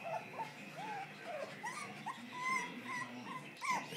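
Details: West Highland White Terrier pups with their mother give thin, high whimpers and squeaky whines. The short rising and falling cries repeat about every half second over a soft background hiss.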